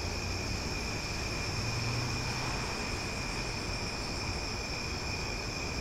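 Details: Loud cicadas in Omaha at night form a dense, unbroken droning chorus with steady high-pitched bands. The buzz holds constant across the whole stretch, with a low rumble underneath.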